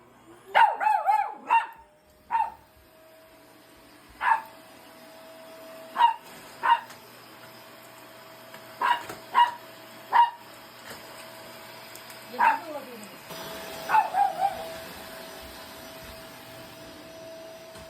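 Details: Poodle barking while fighting a vacuum cleaner, a twelve-year feud, as a woman tries to stop it: about a dozen sharp, high barks, some in quick pairs or bursts, separated by short pauses, over a steady mechanical whine.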